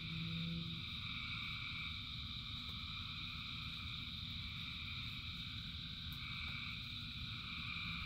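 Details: Frog chorus during rain, thousands of callers blending into continuous high droning bands, one low hum fading early, over constant rainfall noise.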